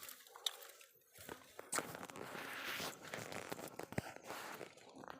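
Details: Crinkling, tearing and crunching handling noises with soft knocks and low background rustle, no animal call.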